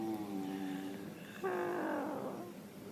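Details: Dog making a weird vocal noise: a steady whine-like tone that drops slightly, pauses, then a louder rising, wavering moan that trails off, with faint music underneath.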